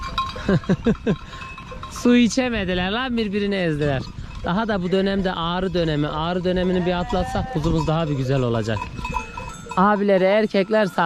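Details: Newly weaned male lambs call for their separated mothers: a few short sounds, then from about two seconds a long chain of shaky, vibrato bleats from several lambs, pausing briefly before more bleats near the end.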